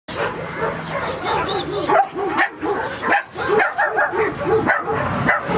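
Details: Puppies recorded on 20 March, a crowd of them yipping and barking in short, high, overlapping bursts that come thick and fast for the whole stretch, with brief lulls around the second and third seconds and some human speech mixed in.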